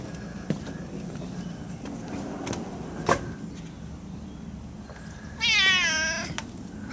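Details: Domestic cat roaming around its yard and house: one drawn-out, wavering meow with rich harmonics near the end, after a few scattered clicks and steady low background noise.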